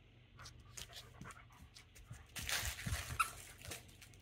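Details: German Shepherd indoors shortly before dinner, demanding to be fed: quick breathy panting puffs repeating several times a second, growing louder and rougher midway, while a man talks nearby.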